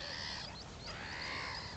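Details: Baby meerkats, about 25 days old and not yet moving with the group, give a continuous harsh, buzzy calling with rising and falling tones, one call running into the next.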